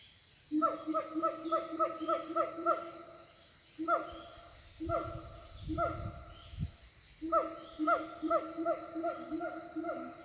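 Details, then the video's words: Siamang calling from the Siundol forest: bouts of rapid, harmonic, hooting notes that rise then drop, about four per second. The bouts are separated by short pauses, and a low rumbling burst comes midway. "suara siamang dari hutan siundol"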